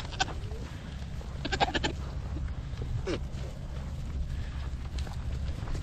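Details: Nigerian Dwarf show goats on a dairy goat ranch: a quick cluster of short, nasal bleats near the two-second mark, with a brief faint call earlier, over a steady low rumbling background.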